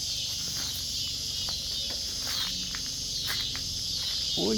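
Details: Cicadas singing in a backyard where kittens are drinking milk; a steady, high, buzzing drone runs throughout, with faint soft voices and a brief low sound near the end.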